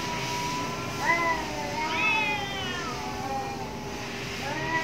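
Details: Cats fighting behind a house, giving drawn-out wavering yowls that overlap, one voice rising into a higher wail around the middle, a fainter cry near the end, over a constant low hum.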